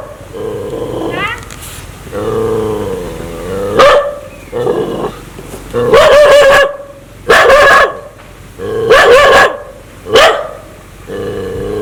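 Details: Dog in an aggressive mood, wanting to bite people, alternates long rumbling growls with bursts of loud, sharp barking, roughly every second or two, ending on another growl.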